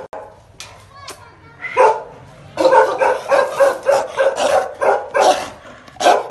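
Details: A pair of Bakarwal protection dogs bark aggressively. A few faint sounds and a human voice come first, then loud, rough barks arrive at about two per second.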